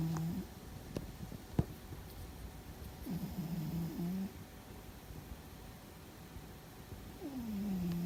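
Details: Fuzzy, a pet cat, snoring loudly while asleep and seemingly dreaming: low droning tones with a slight upward bend, about a second long, separated by quiet gaps, recorded indoors.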